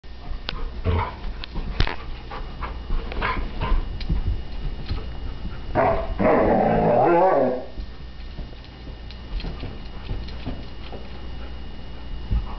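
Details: Alaskan Malamute puppy, female, rooing in frustration while playing with a bowling ball she cannot pick up: one drawn-out, wavering, mid-pitched roo lasting about a second and a half, amid scattered knocks and thumps of the ball.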